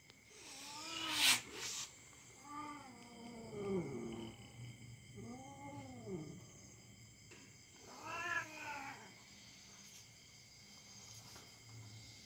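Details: Domestic cat caterwauling while play-fighting with a young dog, the two pets friendly with each other; drawn-out, wavering arched yowls in four bursts, spaced about two seconds apart, with a steady background hum.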